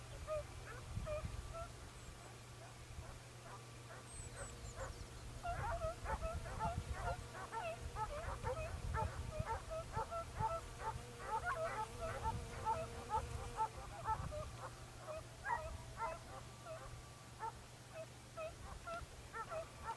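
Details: Segugio Italiano scent hound baying on a hare hunt in Evros, Greece, recorded 22 October 2023: a pack-like run of fast, high yelping barks, about two per second, over a steady low rumble of wind or engine noise.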